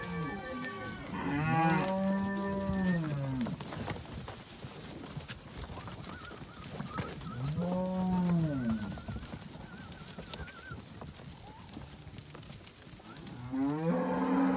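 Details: Simbra cows with calves on a farm: deep drawn-out moos with strong harmonics, one near the start and another around eight seconds, a third beginning at the end, over steady background noise.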